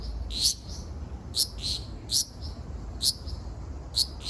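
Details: Ryukyu large brown cicada singing on Okinawa Island, Japan, 17 June 2026: short, piercing buzzy bursts spaced unevenly, roughly one per second, over faint low noise.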